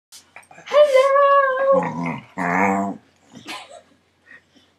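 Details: A corgi, unhappy at first as another corgi piles on top of him, gives a drawn-out whine that drops into a low, rumbling grumble.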